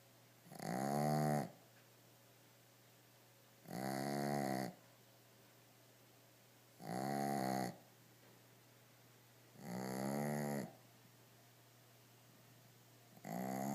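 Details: Shih Tzu dog asleep on his toys indoors, snoring loudly: rough, buzzy harmonic snores about every three seconds, each lasting roughly a second, separated by quiet breathing gaps with a steady low hum underneath.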